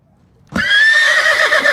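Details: A horse neighing: a sudden loud, high whinny after brief silence, held as a bright, slightly wavering tone that breaks into a quavering flutter toward the end.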